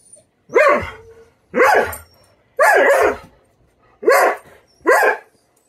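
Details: Female Doberman throwing a tantrum because breakfast is slow to be served: five loud, harsh barks at roughly one-second intervals, each dropping sharply in pitch, with quiet pauses between.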